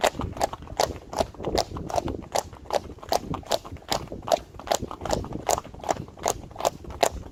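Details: Clip-clop of Friesian horses and their foals on a road, fast repeated hoof strikes about two and a half per second, slightly uneven as several animals walk together.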